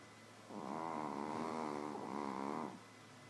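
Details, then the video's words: Little Shih Tzu Nouchka asleep, giving a single rattling, harmonic snore of roughly two seconds with a gently wobbling pitch, quiet before and after apart from a low steady hum. "Shitzu ronfle"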